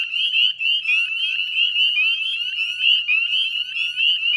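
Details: Brief burst of a Northern Spring Peeper chorus, West Chezzetcook, Nova Scotia, 18 May 2020 at dusk: sharp rising peeps from many frogs overlapping densely, with faint low rumble underneath.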